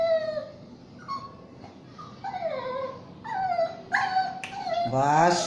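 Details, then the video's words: Pet Shih Tzu and Yorkie mix whining at bath time: a series of falling, tonal whimpers of varying length, some wavering, getting louder toward the end amid faint background voices and splashing. "the mix shitzhu and yorkie lagi mandi"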